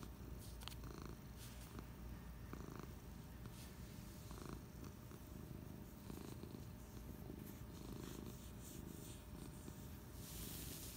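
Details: Low, droning purr from Patches the cat, relaxing on the couch one Friday afternoon. The rumble pulses on without a break, and a brief hiss of noise rises at the very end.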